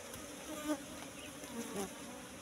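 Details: Brief steady droning of wild Asian honey bees at a bush nest during a honey harvest, with a faint swelling hum and slight rustle.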